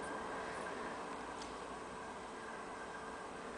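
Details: Only a steady, even hiss like distant machinery or a passing train is heard, with no animal voice. The noise stays flat and unbroken throughout.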